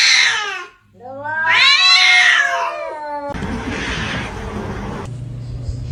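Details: Kitten meowing: two loud, drawn-out, wavering meows, the second long and strained, followed by room noise.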